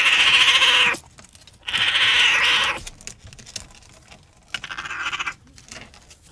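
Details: Raccoon uttering two loud, drawn-out whining trills of about a second each, followed by a softer, shorter third call.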